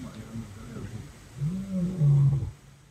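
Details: Lion roaring at dawn just around the corner from a tent at a camp in the Botswana savanna: a single deep, drawn-out moaning roar that swells and then fades, in a quiet setting.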